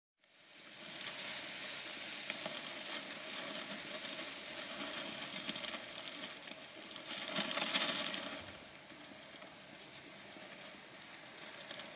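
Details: Steady crackling, sizzling noise throughout, growing louder around the eighth second, with no animal voice heard.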